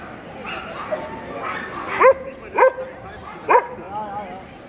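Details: Male Pharaoh Hound in the champion class at the EDS 2022 dog show: three sharp, separate barks about a second apart, rising above a steady hum of indoor crowd chatter.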